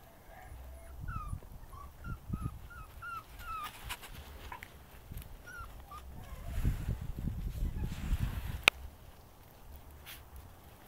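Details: West Siberian Laika dogs Ike and Kilbe with their puppies; a string of short high whimpers and yips, each sliding downward, repeated roughly every half second in the first four seconds, then a few more, with rustling and handling noise.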